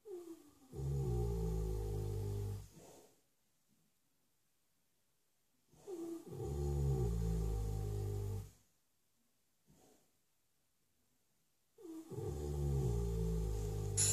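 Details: Ben, a 6-year-old Shire horse, fast asleep in his stable, snores deeply in long, low, rumbling breaths about three seconds each, separated by quiet pauses, three snores in the clip.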